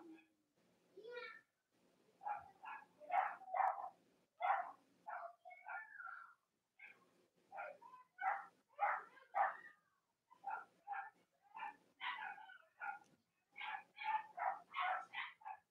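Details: Robin and Myra's Cavalier King Charles Spaniel puppies, from a US litter on a chilly autumn morning, squeal and yip in quick, evenly spaced bursts, roughly two each second, with nasal, harmonic tones throughout.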